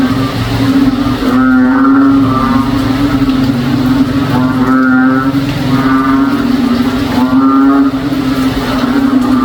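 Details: On a rainy day in a backyard in the province, a frog gives deep, moaning, cow-like calls, repeated every second or two over a steady drone; such frogs call the whole day in rainy weather.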